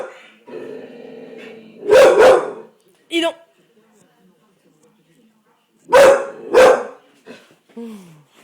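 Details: Bull Terrier in a fit giving paired loud harsh barks, two pairs about four seconds apart, with a voice or murmur beforehand, a short high yelp-like sound and a brief falling squeal at the end.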